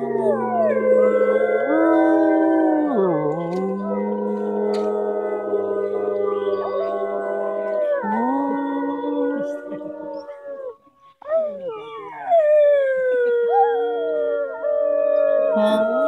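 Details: Atka, a gray wolf, gives long, drawn-out howls that hold steady, then dip and slide in pitch, with music in the background.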